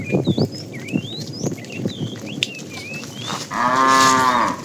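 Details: Herd of cows with calves driven out in the morning to look for food: chirping birds and footsteps, then a loud, steady moo of about a second near the end.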